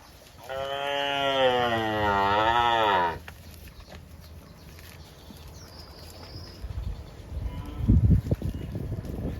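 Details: A tame cow, one of several roaming village roads toward the rice fields, gives one long, rich moo that wavers and dips in pitch before cutting off.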